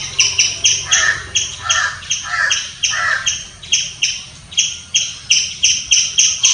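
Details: Squirrel giving loud chirps: a fast series of sharp, harsh, harmonic notes, roughly three or four per second, in uneven bursts with brief pauses throughout, over a quiet background.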